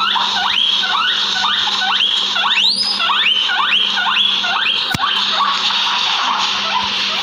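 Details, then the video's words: Guinea pigs in a backyard wheeking steadily: about ten rising, whistled squeals, roughly two each second, with a single sharp click midway and a continuous high hiss behind. "Guinea pig sounds"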